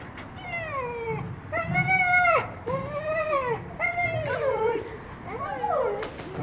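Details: Buddy, a two-year-old Miniature Australian Shepherd, at agility training on a sand ground in late December 2016. Five drawn-out, arched whining yelps falling in pitch, spaced about a second apart, with low background rumble.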